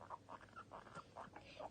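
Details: Happy pet guinea pig boys Toffee and Fudge, playful and popcorning: soft, short, mid-pitched squeaky notes repeated about four times a second over light background noise.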